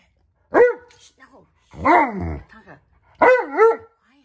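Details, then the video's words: Tonka, an Alaskan Malamute, carries on a tantrum while waiting for hot breakfast food to cool. Three warbling, yodel-like vocal bursts with bending pitch come about a second apart. "Worlds Most Impatient Dog Throws Epic Tantrum"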